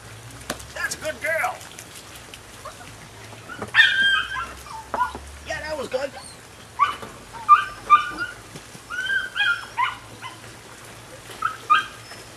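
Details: A nine-week-old female puppy of Rodin and Katana yelps and whimpers in short, scattered high bursts over twelve seconds, mixed with sharp clicks and tapping noises.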